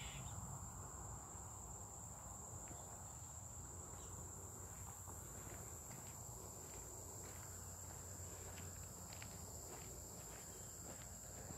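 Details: A continuous thin, shrill drone of cicadas on July 18, 2023, unwavering for the whole stretch, with soft scattered clicks and rustling, and a low rumbling background beneath.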